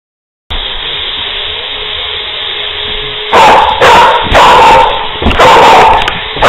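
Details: Wheaten Terrier in a playful frenzy, chasing its owner around a recliner indoors; after three seconds of quiet hum, a burst of sharp, loud barks and yips comes in quick succession.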